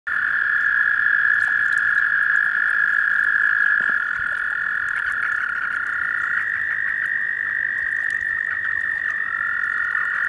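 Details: Several male American toads (Anaxyrus americanus) compete to mate with a female in Maryland, USA, in April, giving long, steady, high musical trills that overlap.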